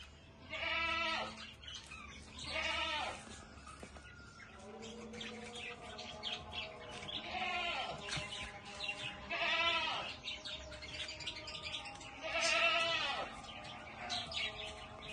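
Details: Goat calling in a series of wavering, harmonic bleats roughly every two to three seconds, with several overlapping voices, suggesting more than one animal, and steady background hum between cries.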